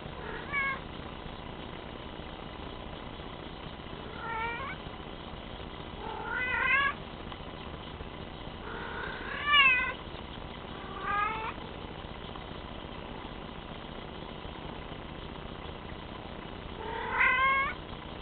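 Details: Bengal cat meowing repeatedly, six rising, harmonic-rich meows spread over about eighteen seconds with a steady background hiss between them.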